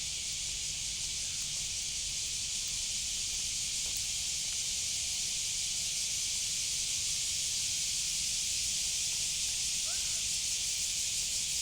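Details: Unchanging high hissing drone of a cicada (semi) filling the whole stretch, with a faint brief chirp-like sound near the end.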